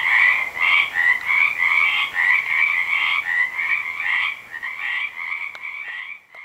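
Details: Frogs calling at a small neighbourhood pond on an evening walk after work: a dense chorus of rapid, pulsed trilling croaks overlapping continuously, each burst about half a second, with fainter higher and lower layers.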